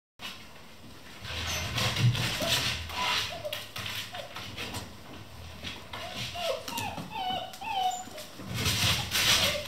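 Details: Eleven Vizsla puppies playing non-stop at 3 am in a kennel, giving short high whimpers and yips in scattered bursts, with scuffling, rustling and bumping of play throughout.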